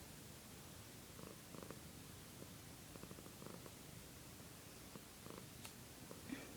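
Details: Female domestic cat making a crackling sound in place of a normal purr: soft, low, gritty clusters of rapid clicks come in short bursts every second or two, with a faint steady background hiss.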